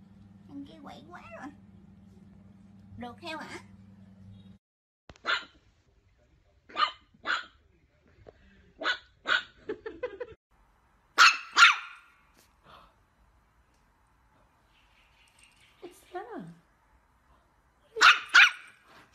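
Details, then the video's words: Chihuahua barking in short sharp bursts, mostly single or paired yaps spaced a second or two apart, with a longer gap before a final pair; a steady electrical hum and indistinct voices fill the opening seconds. "Funny and Cute Chihuahua Barking Video Compilation"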